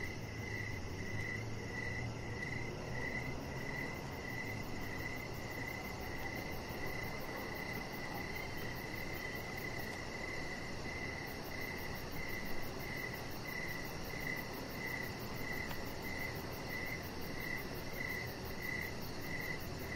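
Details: Evening crickets near a deck with a resting chihuahua puppy give a continuous run of rapid, evenly spaced high chirps, layered over a constant low rushing background noise.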